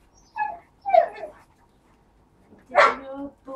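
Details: Husky dogs, part of a household with a litter of four-week-old pups and adults: two bursts of short whiny yelps, the second louder, rising and strongly harmonic, with people talking nearby.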